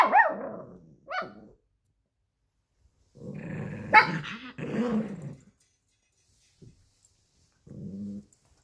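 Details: A 12-week-old Alaskan Klee Kai cross Pomeranian puppy tussles over a toy fox with a 7-year-old American Eskimo cross Chihuahua. Indoors, sharp yelps give way to sustained low snarling growls with a bark on top, then a short quiet growl at the end.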